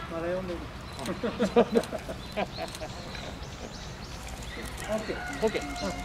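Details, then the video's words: Giant panda Tantan at Oji Zoo, Japan, on 19 January 2021, thrilled by falling snow, standing up and scratching, calling for some time: short bleating, harmonic-rich calls in a quick uneven series, mixed with people talking nearby. "タンタン、舞い散る雪に大興奮！？ 立ち上がってガリガリ！ しばらく鳴いていた"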